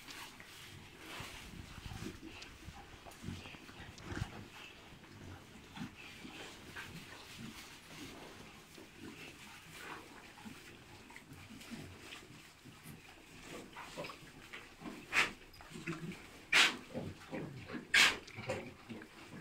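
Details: Three-month-old Landrace and Pietrain hybrid piglets; steady noisy grunting and shuffling throughout, then loud, sharp, broadband squeals near the end, several in quick succession.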